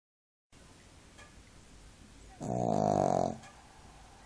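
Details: Shih Tzu napping and snoring like an old man, indoors: one loud, rasping snore of about one second with a buzzy, harmonic-rich tone, set against quiet room hiss.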